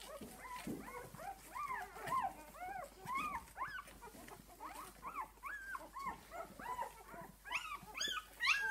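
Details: Litter of six-day-old puppies with their mother Esmée: a dense chorus of overlapping arched whimpers, each rising then falling, several pups calling at once in rapid irregular succession, with a few higher squeaks near the end.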